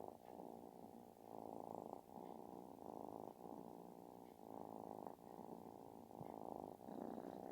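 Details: Affectionate kitten making a loud, snore-like purr, a rough buzzing rumble that rises and falls in regular breath cycles about every second, with no other sounds.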